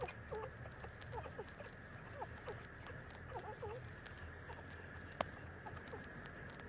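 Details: Street-dog puppies, 30 days old, nursing from their mother; a run of short, thin, high squeaks and whimpers, several rising or bending, tumble over one another through the first half, then fade to scattered peeps above a steady hum and soft patter.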